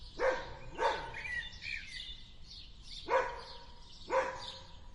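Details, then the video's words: Dog in a garden giving four sharp barks spaced unevenly, two close together at the start and two later a second apart, while garden birds twitter and chirp throughout. "Dog Barks and Growls in the Garden"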